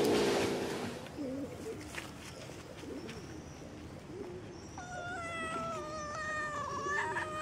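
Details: Kitten meowing: a few short, wavering mid-pitched cries early on, then long, steady, harmonic-rich tones held for several seconds against a faint outdoor background.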